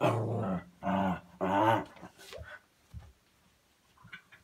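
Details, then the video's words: Pet dog growling during tame indoor play; three strong, rough growls in quick succession, then quieter snuffles and small sounds. "Dog makes funny noises"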